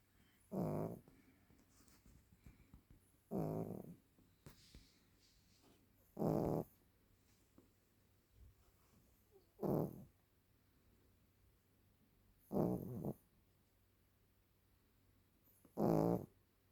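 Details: Maltese dog over ten years old, asleep, snoring: six short rough snores spaced about three seconds apart, with quiet breathing between them.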